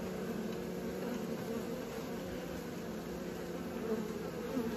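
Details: Young honey bees practising flight fill the air with a dense, continuous buzzing drone, a low hum layered with a higher harmonic, unchanging and steady from start to finish.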